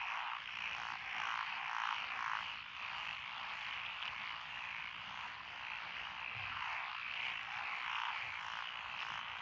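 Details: Numerous frogs calling from lotus paddy fields in Echizen, Fukui, Japan, on 12 June 2021, their croaks forming a thick chorus that throbs in loose pulses, a little under two per second.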